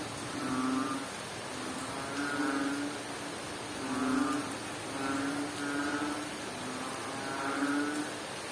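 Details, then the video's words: A frog in Bohol, Philippines, calls through a rain shower, giving short, deep, humming croaks with faint upper overtones at a loose, uneven rhythm of roughly one every two seconds, set against constant rain noise. "Strange Sound of a Frog"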